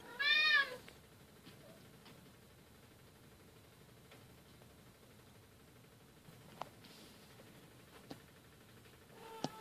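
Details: Bengal cats playing together, newest silver kitten Keylala with sister Luna and mother Xia; one brief arched meow at the start, followed by near silence broken by faint ticks.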